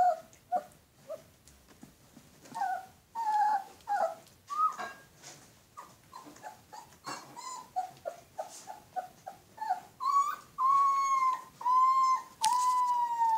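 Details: Alaskan Malamute pups whimpering and yelping in a rapid, irregular series of high, tonal whines, some rising then falling, growing into longer sustained cries toward the end, with a few soft growls mixed in, indoors.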